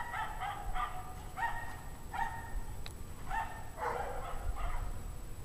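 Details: A pack of dogs barking on a cold January evening at 5 PM, 17 degrees Fahrenheit; repeated harmonic barks in quick bursts, several overlapping, with steady low rumble of background noise and a faint high hum.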